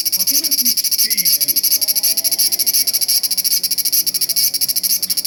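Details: Large brown cicada singing on 1 September 2020: a loud, high, sizzling buzz, pulsed rapidly at about ten beats per second and held without a break, with faint low murmurs underneath.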